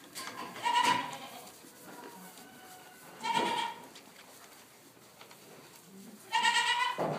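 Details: Newborn Boer goat kid giving three short, nasal, wavering bleats spaced about three seconds apart, each rising slightly then fading, with quiet background rustling between calls.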